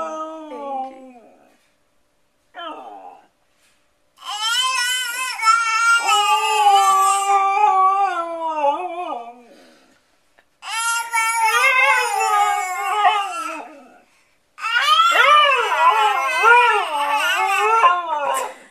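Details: A Siberian Husky howls with a baby: brief whimpering cries open the sequence, followed by three long, tonal howls that waver in pitch and are separated by short silences.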